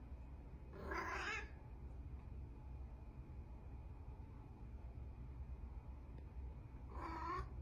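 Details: Orange female cat in a bathtub pleading for the tap to be turned on so she can play in water; two brief meows, one near the start and one near the end, separated by several seconds of quiet hum.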